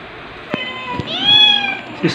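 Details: Domestic kitten, one of two playful young cats, white dalmatian-spotted Stuart and black Lunar, filmed 3 to 8 July 2022 with their mothers; one clear, slightly rising and falling meow after two soft taps, with a quiet room behind.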